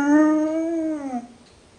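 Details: Dog left in the kennel, complaining while alone, gives one long, drawn-out tonal whine with rich harmonics, holding steady then dropping and fading after about a second, in a small indoor space.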